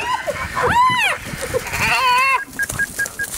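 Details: Spotted hyena, an adult relentlessly attacking a young hyena of the same clan: two loud arched, harmonic squealing cries rising then falling, then short faint tonal pips, with a man's voice nearby.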